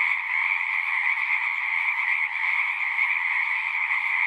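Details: Many frogs calling at once in a relaxing nature chorus, their trilled croaks merging into a dense, steady high-pitched drone with a second lower band, continuous from start to end.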